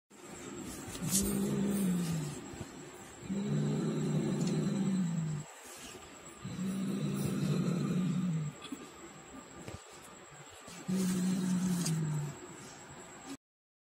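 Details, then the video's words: Angry domestic cat growling while fighting a rat it hunted; low, rough, drawn-out growls come in four long bouts of about two seconds each, separated by brief pauses, over a faint steady high-pitched tone. "angry cat growling"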